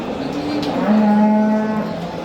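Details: Simmental bull for sale at a Qorasuv livestock market, Andijan region, Uzbekistan: one deep, level moo held for about a second, rich in harmonics, with a murmur of people in the background.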